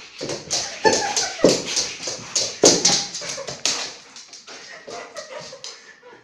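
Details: Labrador Retriever from a funny pet compilation, giving a run of short, sharp bark-like bursts and whimpers in quick, uneven succession, with tapping noises in between.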